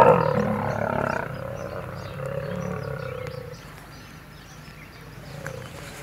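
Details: Lions clashing over territory in Kruger National Park, South Africa, an old male against young males. A loud, raspy snarl opens the recording, then trails off into lower, fading growls.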